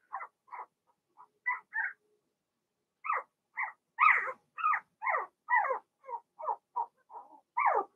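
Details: Blenheim Cavalier King Charles Spaniel puppies from Remy's first litter of six, born March 7–8, in an indoor puppy pen during potty training. About fifteen short squeaky yelps, each rising then falling, come in bursts after a brief pause.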